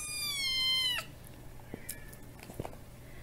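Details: Tiny kitten with feline hyperesthesia meowing while being fed bonito flakes, demanding snacks: one long, high, slightly falling meow lasting about a second, then quiet room noise with faint soft sounds.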